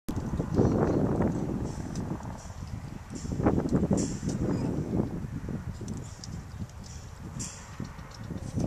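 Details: Violet, a young female pileated gibbon at the Gibbon Conservation Center in Santa Clarita, California, happily eating yellow apples: dense, crunchy chewing bursts, low and irregular, following each other rapidly throughout.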